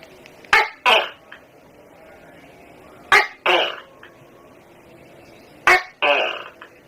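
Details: House-dwelling Tokay gecko giving its loud two-part call, a sharp harsh bark followed by a rougher second syllable, repeated three times about every two and a half seconds.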